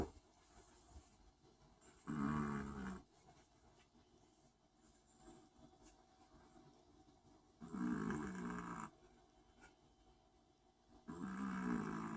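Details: Long-haired Chihuahua asleep and snoring, three hoarse, buzzing inhalations about five seconds apart over a low steady room hum.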